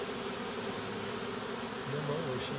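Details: A swarm of Western honey bees being caught makes a steady, dense hum of many overlapping wingbeats as they march uphill into a nuc box, the queen possibly among them.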